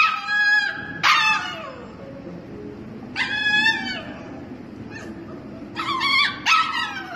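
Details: Husky puppy too young for the big dogs, penned behind a gate at a daycare during a work shift, whining in loud high yelping bursts that fall in pitch, several in quick succession, with low background rumble between.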